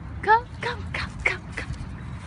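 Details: Alaskan Malamute puppy giving one short, high, rising yelp with clear overtones near the start, followed by a person calling it to come, over a low rumbling background.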